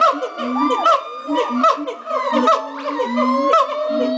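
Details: Morning chorus of monkeys at Twycross Zoo, with rapid hoots, looping rising-falling whoops and a strained upward-sweeping cry, many voices calling together over roughly one pulse per second.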